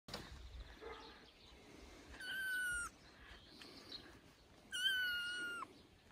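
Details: Three-week-old kitten playing on its human dad's shoulder, giving two loud, high, drawn-out meows, each slightly falling in pitch, separated by a quiet pause with faint room noise.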